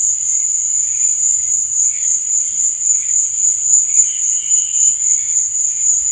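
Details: Chirping crickets after dark: one constant shrill high-pitched trill dominates, while weaker wavering buzzy sounds rise and fade beneath it.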